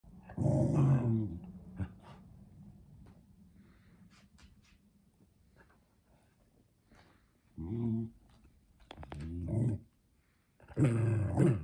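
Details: A 3-year-old male Pembroke Welsh Corgi in Canada, on November 5, 2020, voices his unease about a new corgi-shaped mug with low, rumbling growls in short bursts with pauses between.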